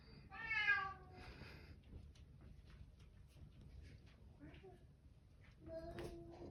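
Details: Bengal cat indoors giving one loud, harmonic meow at the start, then low background voices and a short tonal sound near the end.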